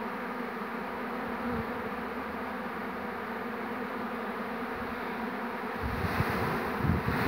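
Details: Honey bee swarm, 2 June 2019. The swarm had settled on a small tree and the bees are being coaxed inside to their queen. A steady, massed droning hum runs throughout, with some low rumbling handling noise near the end.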